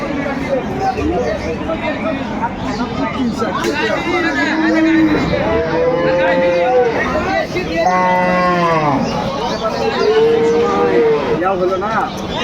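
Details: Market cows with calves at Aftabganj haat, Dinajpur, 9 December 2025: several separate moos, each a rising then falling bellow lasting about a second, spaced a few seconds apart over noisy crowd chatter and haggling.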